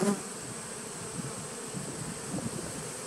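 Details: Honey bee nucleus colony dating from 2017, recorded 19 September 2018, produces a short burst of rough, low buzzing that pulses slightly in loudness over about three seconds.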